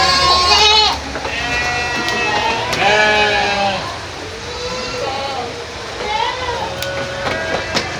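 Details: Goats bleating, several overlapping high, harmonic-rich bleats in the first second, then wavering, drawn-out bleats near three seconds and again around six to seven seconds, over a steady background hiss.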